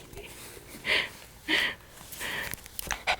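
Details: Einstein, a pet dog, reacting to strange noises; two short sharp barks near one and one and a half seconds, followed by softer rustling and small whines or clicks.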